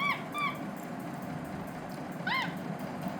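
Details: Capuchin monkey Lilly, enjoying spaghetti, makes two quick flat whistles. A single arched chirp follows after a gap, against a continuous low background hum.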